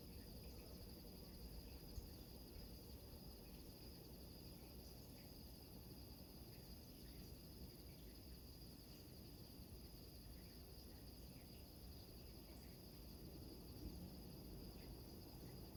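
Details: Maui, Hawaii, rural night ambience: crickets sustain a thin, steady shrill trill throughout, set against heavy low wave noise crashing on rocks, with one soft knock near the start.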